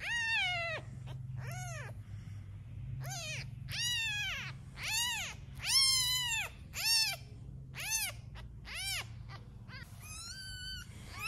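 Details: Domestic cat calling around newborn kittens and the mother cat: a run of about ten rising-then-falling harmonic meows, roughly one per second with brief pauses, some louder and longer, against a faint low background hum.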